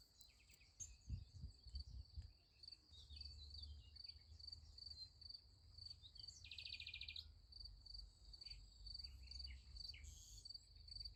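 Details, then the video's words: Crickets chirping at night near a sunflower field: a continuous high-pitched pulsing trill, with a brief buzzy bird trill midway, a few low thumps early on, and a soft low background hum. "Nice Sunflower Field with Crickets Sound Effect"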